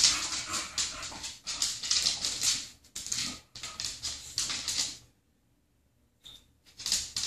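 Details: Two female English bulldogs play, one wearing a cone after surgery and the other unsure how to deal with it; they snort, huff and scuffle noisily in rough bursts, with one brief high squeak.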